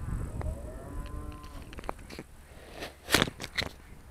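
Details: Trained Charolais cows being called in by their owner in 2017; a faint, low harmonic moo lasts about a second, followed by several sharp clicks and knocks.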